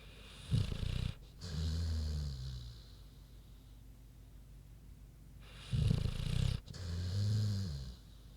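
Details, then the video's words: Queenie the pig, asleep, gives two slow breathing cycles: a sharp, raspy inhaled snort, then a softer rumbling exhale, repeated about five seconds apart. "Big Pig Snoozin' (HD Queenie Snoring Audio)"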